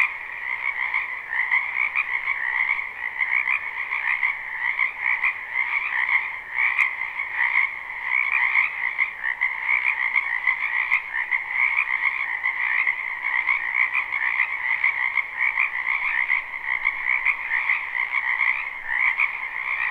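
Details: Live, unlooped recording of a spring wetland full of frogs: continuous massed croaking forms an unbroken pulsing drone of high and mid-pitched trills, even in volume, with no other clear sounds.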